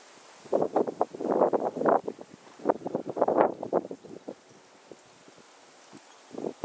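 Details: Mishka the husky talking outdoors amid the polar vortex, pouring out long, warbling, rising-and-falling woo sounds in two extended runs, then fading into scattered short yips, with wind buffeting the microphone.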